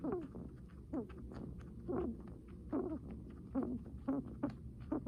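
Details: Guinea pig breathing heavily: short, low, wheezy huffs with a squeaky rising edge, about once a second, somewhat uneven, in a quiet indoor setting.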